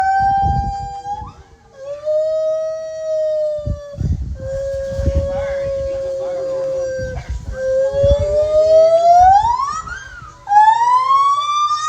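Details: White-handed gibbon (Hylobates lar), call.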